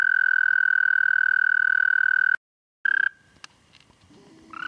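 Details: Toad singing at night, 30 May 2014, 11:13 p.m. CDT: a steady high trill for over two seconds stops suddenly, followed by a short trill burst, scattered faint noises and another trill beginning at the close.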